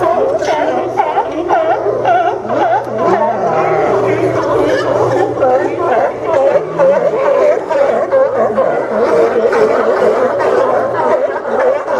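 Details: People chatter and laugh loudly over background music, with no sea lion barks standing out.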